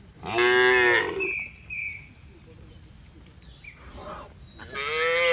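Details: Tame domestic cattle herd with calves running home to the farm barn in the rainy season; two loud, harmonic-rich moos about four seconds apart, the first a second long, the second starting at the clip's end, with faint background noise between.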